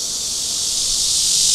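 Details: Cryptotympana cicada (Cryptotympana pustulata / Cryptotympana atrata), recorded with a Sony PJ820 and ECM-XYST1M microphone: a loud, continuous, high-pitched buzzing hiss with no breaks, swelling slightly toward the end.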